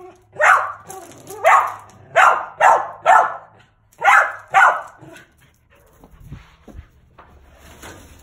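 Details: Bob, a male mountain feist squirrel dog that trees his own squirrels, lets out six strong, evenly spaced barks, then falls quiet with only faint rustling and soft noises afterward.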